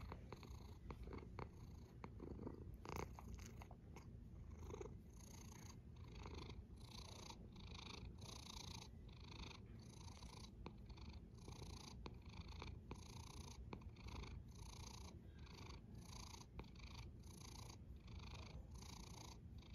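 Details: A cat snoring in a long sleep-aid recording: a steady low rumble with soft, rhythmic breathing swells repeating every second or so, plus scattered faint clicks.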